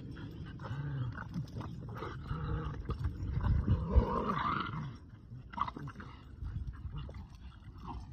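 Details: Two pet dogs, a Boston Terrier and a Keeshond, tugging on a broken rubber toy; deep rumbling growls rise and fall in bursts, swelling loudest around the middle, with rough throaty pulses and scuffles between.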